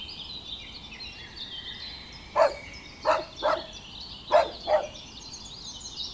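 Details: Dogs romping together on green grass while playing. Five quick, punchy barks come in a loose burst, with busy birdsong trilling throughout.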